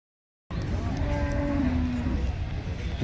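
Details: Male buffalo at the Chattiparamba market, Kerala, giving one low, drawn-out moo lasting about a second and a half that sinks slightly in pitch, over a steady rumble of market crowd noise.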